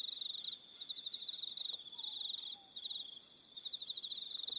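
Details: Evening crickets on Aroha Island, New Zealand, trilling in a dense high pulsed chorus, several callers overlapping in steady bands, with brief quieter gaps near the start and middle.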